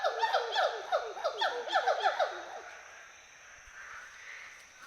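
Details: Western hoolock gibbons at play in forest trees of Hollongapar Gibbon Sanctuary, Assam, India: a quick run of rising whoops for two seconds, then fading into quieter distant forest background.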